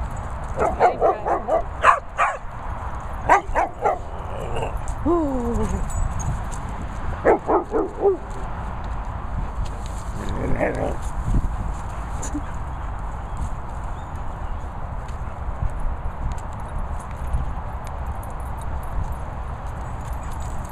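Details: Finlay, a Cocker Spaniel, barking at a calf in Worcestershire countryside: a run of sharp repeated barks in the first eight seconds, a few more near eleven seconds, then quieter noise, with a man talking.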